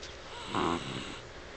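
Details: Sleeping pet dog named Dixie, dreaming with rapid eye movement indoors; a single brief breathy snore swelling and fading within about a second.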